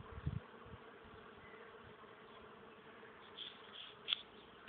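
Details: Bees working a flowering maple tree on 31 March 2014, a soft, steady hum with a few low knocks near the start and brief bright noises toward the end.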